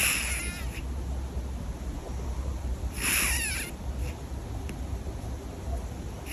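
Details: Loud snores from a sleeping cat, two raspy breath bursts about three seconds apart, each with a brief falling wheeze, over constant low background rumble.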